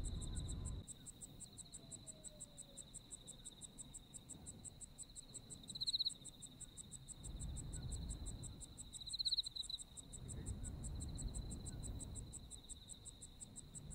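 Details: Autumn insect chorus in Japan, a continuous high ringing trill with fast regular pulses above, two brief louder swells midway, and a soft low rumble underneath.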